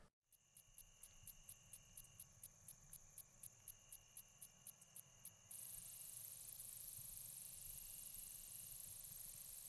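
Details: A slender meadow katydid, a common Illinois/Midwest species, sings a long steady run of high ticking clicks, then breaks into a continuous, slurred, higher-pitched buzz.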